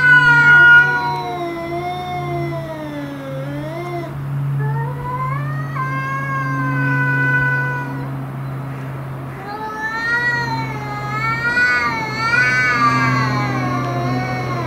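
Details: Domestic cats in a standoff with an intruder cat, giving long drawn-out wavering yowls that rise and fall in pitch, several overlapping howls with a steady low hum beneath.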